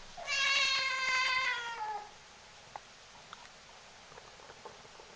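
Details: Siamese kitten giving one long, drawn-out meow lasting about two seconds, strongly harmonic and sliding slightly downward at the end, followed by quiet with a few faint clicks and taps indoors.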